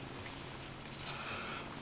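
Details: Purring from Sirocco, a Persian kitten, during grooming: a constant low rumbling hum, unbroken, with a faint brief rustle near the middle.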